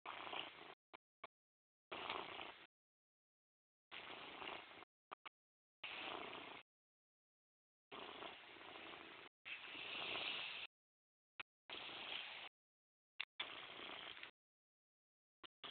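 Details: Morris the house cat purring in separate bursts of about a second each, broken by silent gaps, the rough humming rising and falling with each breath across the stretch.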